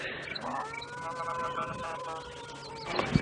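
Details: A distant African elephant gives a drawn-out, wavering trumpet in the early morning on safari in October; a calf seemingly throws a tantrum trying to suckle while its mother refuses.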